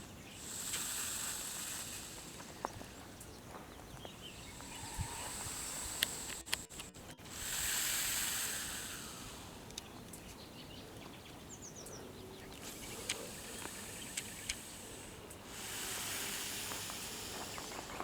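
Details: Big green snake up close, breathing and ready to attack: long airy hisses swell and fade in several drawn-out bursts, separated by quieter gaps with scattered clicks and faint outdoor ambience.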